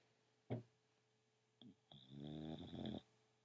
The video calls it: Daisy the English Bulldog Snoring